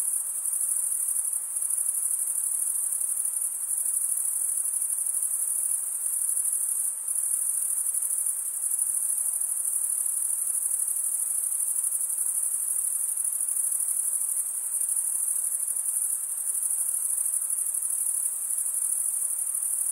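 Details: Chirping crickets, males producing the sound by stridulation: a steady, piercing high trill sustained for the whole stretch, gently wavering in loudness, with nothing else audible.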